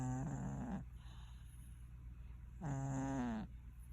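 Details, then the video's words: Domestic cat asleep and snoring: two drawn-out, droning breaths with a low buzzy pitch, each lasting under a second and about two and a half seconds apart, with quiet room noise between them. "Snoring Cat"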